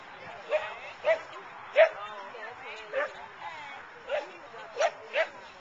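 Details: Dog at an outdoor agility trial held by Car-Dun-Al at the Boone County Fairgrounds in Belvidere, June 2010: eight short sharp barks spaced unevenly across a few seconds, with faint voices in the background.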